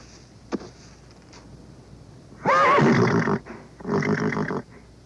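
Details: Horse from a vintage sound collection: a faint click, then a loud, wavering whinny of about a second, followed by a rougher, pulsed, breathy call lasting under a second, over background hiss.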